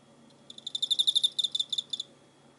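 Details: Chirping cricket, 24 November 2016: one high, trilling burst of roughly eighteen sharp pulses over about a second and a half, louder in the middle and tapering at the end, with only a soft low hum beneath.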